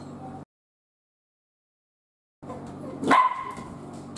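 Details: A male Miniature Dachshund, lonely after a female keeps rejecting his invitations to play, gives a single short, high whining cry that rises sharply then drops away.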